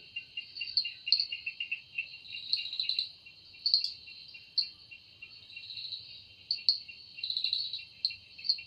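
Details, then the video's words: High, droning cicada song from a forest at evening time, made by the wings, steady and shrill, rising into stronger buzzy surges every second or two. "Woundering voice of Cicada"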